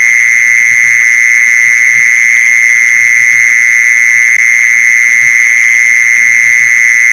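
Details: Continuous mole cricket trill used as a lure for mole crickets, a loud, even, machine-like purr at constant pitch with a thin upper overtone and no pauses; faint low knocking in the background.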